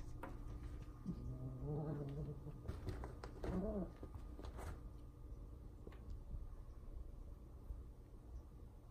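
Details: Two pet cats, Taj and Zara, indoors, determined to get a squirrel eating outside, scratching and pounding at the window. Two short, low, harmonic meow-like calls, the second one rising and falling, among sharp taps and clicks against the glass.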